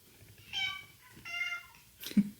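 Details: Cat being gradually introduced to other cats in the household, giving two drawn-out, clear meows about a second apart, followed by a short scuffling sound, quiet indoor room.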